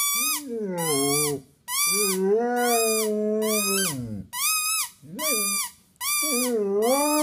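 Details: Penny, a Basset hound of five and a half, comes closest to her first-ever howl. Long, deep, wavering howling notes run nearly without a break, mixed with higher whining tones that rise and fall.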